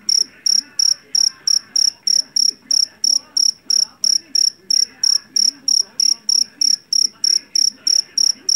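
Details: Jangkrik jeliteng, a Javanese field cricket caught in a rice field and known for its loud voice, gives shrill high chirps about three per second in a steady train. A faint murmur sits underneath.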